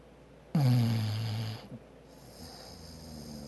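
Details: Maggie, a bulldog, gives one loud, low rumbling snore lasting about a second, with a strong droning tone that slides slightly downward, then trails off into quiet breathing indoors.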